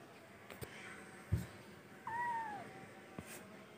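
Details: Baby cat giving one short, thin meow that slides downward, quiet against room noise with a couple of soft knocks.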